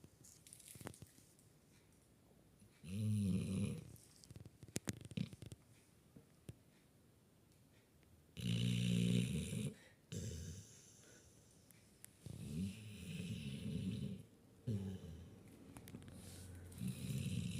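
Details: Sleeping puppy snoring loudly indoors: deep, low rumbling snores in bursts of about one second, with a harsher airy rasp on some breaths and quiet pauses of several seconds between them.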